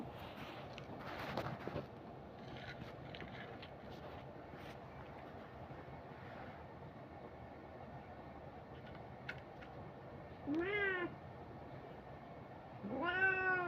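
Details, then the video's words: Domestic cat giving two drawn-out meows, each arching up then falling with rich harmonics, arriving late and about two seconds apart, over a steady low rumbling background hum with a few scattered clicks earlier. "Cat video original sound"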